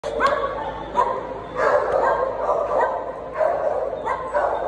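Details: Small dog giving a run of short, high yapping barks, roughly one every half second to second, bright and sharp with no other sounds standing out.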